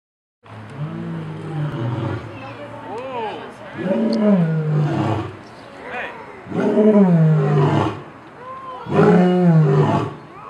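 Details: Loud lion at the Cincinnati Zoo bellowing: deep, drawn-out groaning calls about two seconds long, rising then falling, repeated roughly every two and a half seconds, with faint voices in the background.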